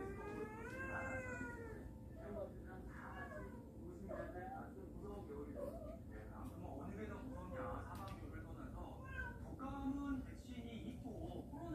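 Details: Cats from a warehouse family, now indoors in a home, give a rising, upward-bending meow early on, followed by softer mews beneath steady human conversation.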